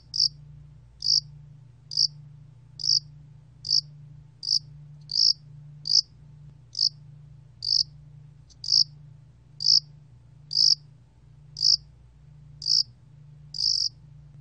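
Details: Yasan allak cricket chirping steadily in a 2020 National Institute of Biological Resources recording: a long run of about twenty short, shrill pulses, about one per second, over a background low hum.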